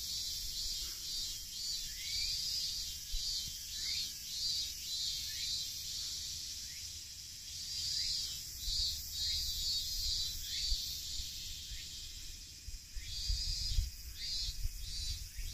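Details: Summer cicadas shrilling from trees along a nature trail at Tsuyazaki, Fukutsu, Fukuoka, Japan, on a hot late-August 2023 day: a continuous high buzzing wall of sound, with short rising chirps repeating about twice a second and low outdoor rumble.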